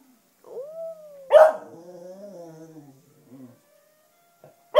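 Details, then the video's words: Black female Cocker Spaniel kept as a pet and howling to wind instruments such as clarinet. A brief steady tone comes first, then a sharp burst. A wavering, gradually falling harmonic howl follows and fades into short faint noises. "A Howling Cocker Spaniel"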